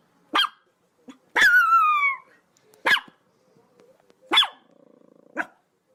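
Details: Chihuahua dog barking: quick sharp yaps, then a long falling yelp, more short barks and a brief rattling low growl before a final yap.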